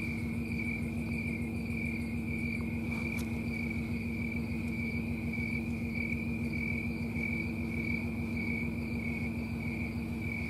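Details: Snowy tree crickets singing in trees on a Colorado summer night, September 4, 2022: a steady, high, ringing trill with faint rhythmic pulsing. A constant low hum runs underneath, with a brief click near three seconds.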